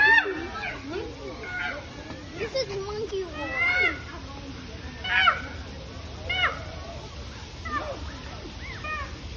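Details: Chimpanzees fighting over food at the Oregon Zoo: a run of harsh, arching cries that rise and fall in pitch, bursting out roughly every second, some rough and grating, over a low steady background rumble.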